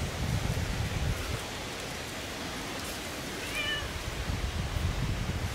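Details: Siamese cats Otani and Yozora roaming off-leash through a German forest of ferns and mushrooms. One brief, soft, bending meow rises midway, over a steady low rumble and light rustling.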